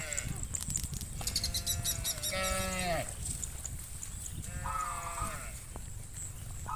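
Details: Hundreds of cows heading to the farm pen in the afternoon; several overlapping moos, one long drawn-out lowing then a shorter one, over constant hoof and field noise with a steady high hiss.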